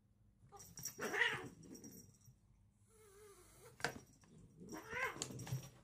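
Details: Short-legged house cats in a comical indoor fight, one giving drawn-out wavering yowls and growls rising and falling in pitch, with a sharp hiss or spit near the middle and rustling of bodies.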